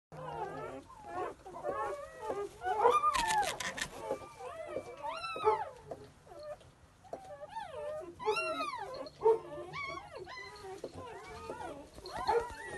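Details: Newborn English Pointer puppies calling together: many thin, squeaky whines and yelps that rise and fall in arcs, overlapping constantly from several pups, with a brief rustle partway through.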